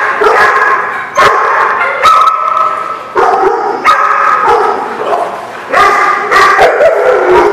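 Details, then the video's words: Several dogs at a place called the Barking Lot, recorded 4/11/16, barking loudly and continuously, with overlapping harsh barks and yips in bursts about every second and a few sharper high yelps. "The Barking Lot"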